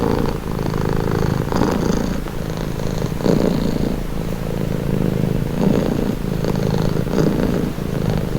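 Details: Domestic cat purring steadily and calmly, a continuous low rumbling throb that swells and eases with each breath, in and out roughly every second or two, close and loud, with faint soft rustles above.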